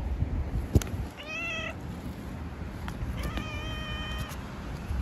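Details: Female tabby cat in the street, a stray wanting attention and asking to be stroked, gives two clear tonal meows, the first short, the second longer and steady, over low traffic rumble and a few sharp clicks.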